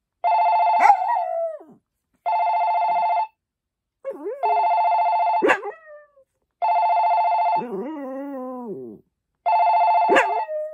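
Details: Poppy, a Maltese dog, howls along with a ringing telephone tone: wavering, sliding howls rise and fall between and over repeated steady electronic rings, with short silent gaps.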